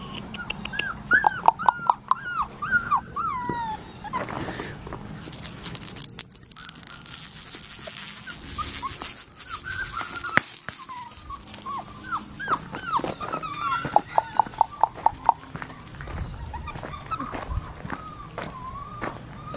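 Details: Young black tri female Australian Shepherd, a puppy at an Oklahoma breeder, whining in bursts of high falling whimpers and yips, interrupted midway by a long loud hiss, with clicks and handling sounds throughout.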